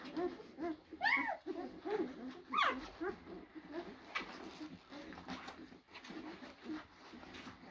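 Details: Blue Great Dane puppies at a kennel, litters born April 2023. Several sharp rising-falling whimpers early on over steady low murmuring and rustling from the litter, fading to softer whines and background noise.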